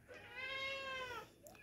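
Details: Pet cat meowing while excited for an egg treat; one clear, drawn-out, tonal meow of about a second that rises slightly then falls away, with no other sounds around it.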